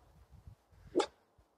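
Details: Finnish Spitz dog on a forest trek, a few meters from three very small wild boar piglets on the trail, gives one short, sharp bark after soft footsteps and rustling.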